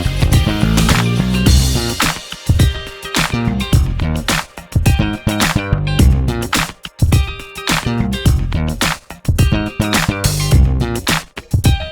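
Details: Upbeat funk-style music with plucked guitar and a heavy bass line plays throughout, with a steady beat and no animal voice.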